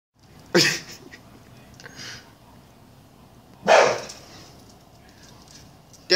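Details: Staffordshire Bull Terrier named Cedric barking while attacking a black bag, urged on by a person: two sharp, loud barks about three seconds apart, with quieter sounds and speech between them.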